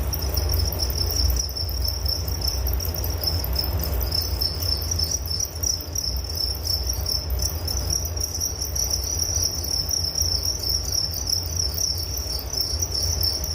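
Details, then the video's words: Crickets chirping in a steady, continuous high-pitched trill that pulses without pause, with a low rumbling hum underneath throughout. "Relaksasi Suara Jangkrik Penghantar tidur || Nature Sound of Crickets"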